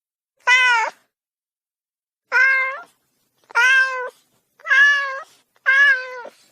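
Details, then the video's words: Kitten meow repeated five times, each call about half a second long, steady and strongly harmonic with a slight upward bend, coming roughly once a second after an opening pause, with clean silence between. "Beautyful Cat cub sound effect"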